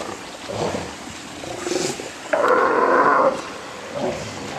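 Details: At Pumalin in Patagonia a sea lion lets out a single loud, drawn-out bellow lasting about a second, framed by fainter grunting calls from other animals in the colony.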